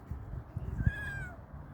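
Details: Tabby kitten with its siblings, four kittens together, gives one thin, high mew that holds and then slides gently downward, faint over low rustling and handling noise.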